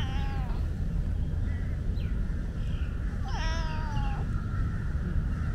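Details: Young tabby tomcat with tiger stripes, recently separated from his mother and a bit shy, meowing while being petted; two clear, slightly wavering meows near the start and middle, over steady low rumbling background noise.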